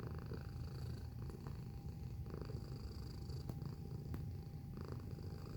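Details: Deep, buzzing purr from a cat recorded close up, very low and rumbling, pulsing gently with its breathing, with a couple of sharp clicks and a faint steady hum behind it.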